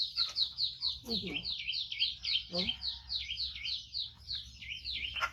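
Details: Hungry five-month-old baby monkey, rescued from a hunter and kept at home, squeals insistently while awaiting food. Piercing, arching cries follow one another in a steady rapid chain, with brief human voice sounds underneath.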